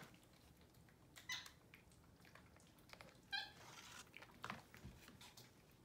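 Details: Pet capuchin monkeys eating morning oatmeal in bed indoors on a Sunday. Two brief high squeaking calls, about two seconds apart, among soft rustling and handling noises.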